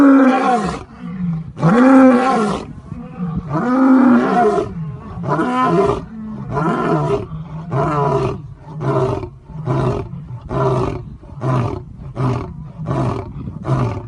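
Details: A zoo lion's roaring bout opens with long, heavy moaning roars. These give way to a run of shorter, quicker grunts that come about every second and fade toward the end.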